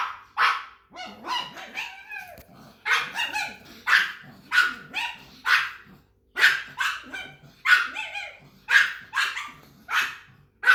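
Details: Pug giving a long run of rapid, harsh barks with rough, growly notes between them, an almost continuous volley of about twenty bursts with brief gaps.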